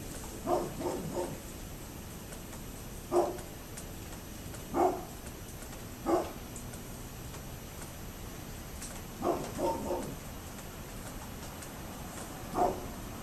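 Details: A neighbour's dog, October 27, 2011, barks in scattered singles and a quick triple, some eight barks at uneven intervals, sounding muffled against a continuous hiss.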